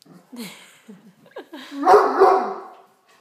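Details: Great Dane indoors barking at a tray of dinner rolls it wants: short rising whines, then a loud, rough bark with a second quick bark, after a man's speech.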